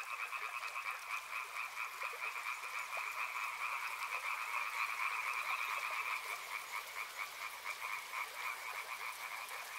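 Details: Numerous frogs near a river call without pause. Dense, rhythmic croaking sits in two bright pitch bands, loudest around the middle, over a constant hiss.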